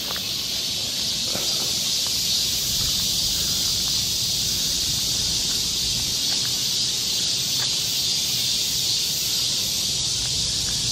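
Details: Summer cicada chorus in the forest of Galsan Park, Mokdong, Yangcheon-gu, Seoul, South Korea: a dense, steady high-pitched hiss that never breaks, with faint rustling and scattered soft ticks underneath.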